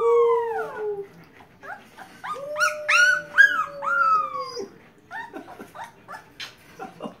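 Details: A 10-day-old wolf pup, responding to its owner's voice, gives thin, high, wavering howls mixed with squeaky yelps.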